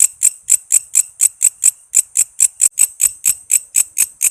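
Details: Walang kece cicada, an Indonesian insect whose calls serve as master sounds for training murai, lovebird, cucak ijo and kacer songbirds: sharp, high, buzzy clicks repeated about twice per second, seventeen pulses in steady rhythm.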